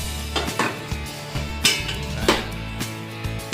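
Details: Music plays with clattering, dish-like percussive hits and no animal calls.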